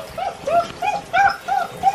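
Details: Great Dane puppies at six weeks, unhappy about their first bath, letting out a string of short arched whimpers, about three per second, evenly spaced and mid-pitched.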